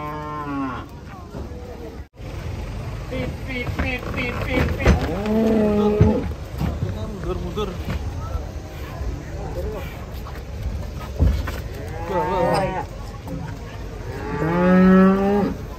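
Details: Cattle unloaded from a truck, with scattered bellows amid clatter, thuds and background noise. Short moos come midway, and a stronger, wavering moo comes near the end.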